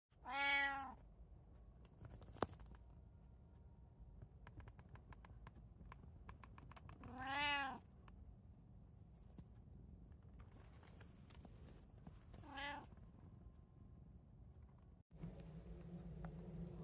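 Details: Indoor house cat among three pet cats (tabby, Abyssinian, short-legged Munchkin) on an ordinary day, recorded 8 July 2024: three short harmonic meows spaced several seconds apart, then a woman's voice calling a cat to dinner.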